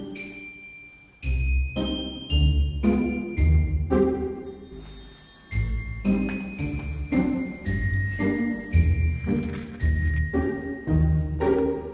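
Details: Tinkling mallet-percussion music with glockenspiel-like chimes and a low bass line plays throughout, with no animal voice.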